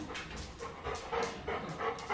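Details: Labrador Retriever named Lilly, a pet dog missing her owner while watching him on TV, panting in quick breathy bursts, roughly four per second, close and steady with no voices over it.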